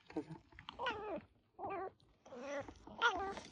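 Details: Injured domestic cat with a painful mouth being examined indoors, uttering several short wavering meows in a broken series, mixed with quiet human voices and handling sounds.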